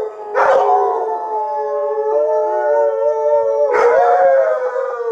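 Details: Several Alaskan Malamutes, Sojou, Fish and Dotty, howl after watching footage of their sled dog training; a long steady, slightly wavering howl bracketed by two abrupt yelping bursts at the start and near the end.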